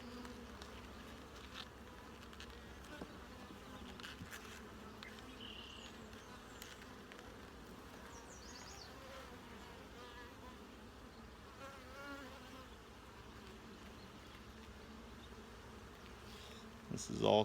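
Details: Honey bees humming inside an opened hive as frames of capped brood are examined; even droning buzz with occasional faint high chirps, ending in a loud burst of handling noise.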